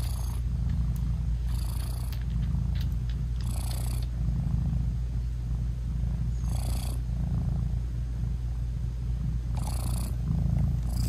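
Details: Continuous deep purring from a British Shorthair mother cat cuddling and nursing her tiny kittens whose eyes are still closed, with intermittent bursts of soft rustling and faint clicks.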